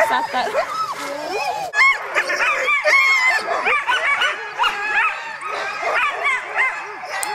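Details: Sled dogs, Alaskan huskies, gathered in Målselv, Norway, in September 2009, raise a constant excited chorus of high yips, barks and rising-falling howls from many animals at once, overlapping without pause.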